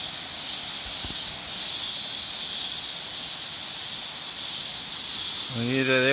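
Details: Mountain cicada chorus near coffee plantations, a steady shrill buzzing drone running throughout; near the end a man's voice begins speaking over the insects.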